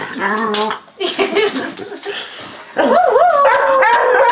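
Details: Boxer/Malamute cross dog, with a Schnoodle, howling along to recorded malamutes howling at a siren; wavering tonal howls rise and bend, with other voices and clutter overlapping early on.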